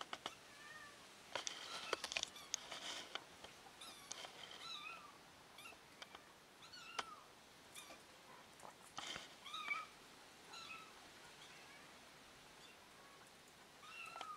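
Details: Kitten back with her family after being lost, mewing in a long run of thin, high, arched calls, often in quick pairs, amid scattered rustles and light knocks.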